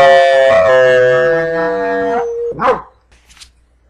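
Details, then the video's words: Pet brindle Chihuahua howling in an attempt to say "I love you": one long sustained, slightly falling tonal howl ending in a short bark-like yelp, then quiet. "Brindle Chihuahua says I LOVE YOU"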